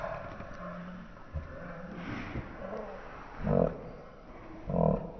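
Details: Alaskan Malamute named Wookie growling while playing tug of war with his toy indoors in the evening, slowed down: low, harmonic, drawn-out growls rising to two loud bursts near the end, with soft rustling between.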